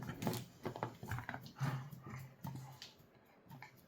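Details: A dog playing with a bottle gives short, low growling rumbles in uneven bursts, mixed with crackling and clattering noises from the bottle.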